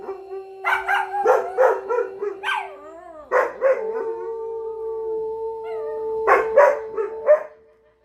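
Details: Several pet dogs singing together: bursts of rapid barking open and close the passage, while long steady howls, one lower and one higher, sustain through the middle with wavering, sliding notes between them.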